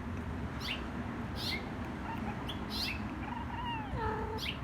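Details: Django, a five-month-old kitten, talking with a neighbourhood bird, possibly a red finch, as the sun comes up. Near the end comes a short, descending, tonal cat call, set among repeated high, quick bird chirps over a steady low background hum.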